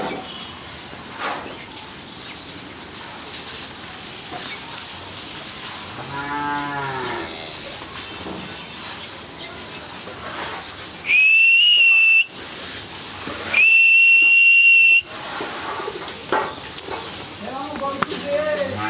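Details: Healthy 13-month-old Friesian heifer calf on a farm in Pabna, Bangladesh, giving a low, drawn-out harmonic moo lasting about a second, with a second shorter low call near the end, two loud steady high electronic tones, and faint background chatter.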